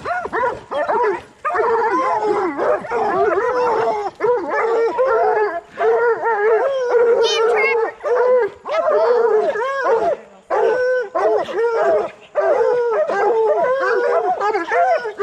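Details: Coonhounds of bluetick and black and tan breeds, training to hunt raccoons, mix rapid bawling barks with sustained howls in a noisy group chorus, with a high yelp near the middle and short pauses between bursts.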